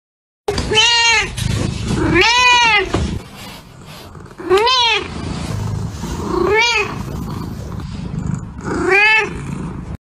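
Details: Domestic cat giving five long, loud, harmonic meows, each arching up then falling, about two seconds apart, with a rough breathy background between calls.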